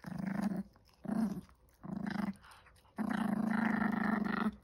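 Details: A 19-week-old Chihuahua puppy growling while chewing: four low, rumbling growls, three short ones about a second apart and then a longer sustained growl lasting nearly two seconds.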